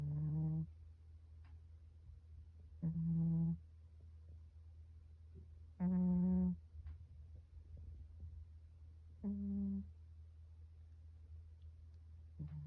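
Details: A Russian Blue cat snoring, recorded 12 February 2022: four short, low, droning snores, each under a second, come roughly every three seconds over a steady low hum.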